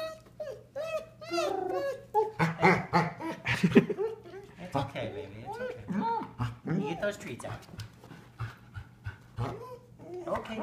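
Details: A female Golden Retriever with recently severed tendons makes a rising and falling whining 'singing' sound in greeting to an old friend, as if telling him all about it, with people talking alongside.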